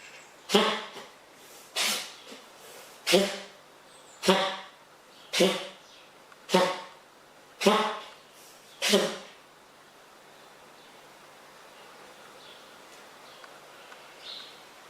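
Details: A wild fox named Frank has a sneezing fit indoors in a kitchen: eight sharp, explosive sneezes, each about a second apart, followed by quiet room noise.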